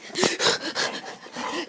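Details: Mckenzie, a brown female pet dog, pants in quick breathy bursts, about four rough, hissing exhalations per second, with no barking or other sounds.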